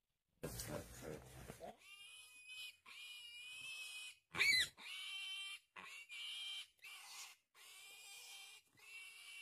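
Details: Piglet attacked by a Komodo dragon, which fiercely preys on the young pig passing nearby. High, harmonic squeals repeat in roughly one-second bursts separated by short gaps, with one sharper, louder cry near the middle.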